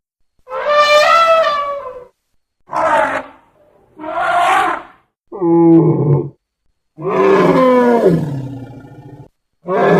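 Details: An African bush elephant tusker trumpets in loud, brassy blasts separated by short pauses.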